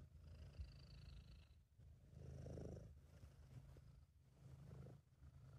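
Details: British Shorthair cat purring contentedly while relaxed and happy, amateur recording: a steady low rumbling purr swelling and fading with each breath, loud phases about every second and a half, with faint room hiss.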